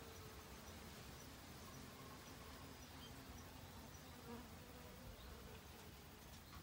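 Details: Honey bees at work in autumn, collecting provisions for winter; an unbroken low buzzing hum of many bees, rough and even, with a slight swell near the end.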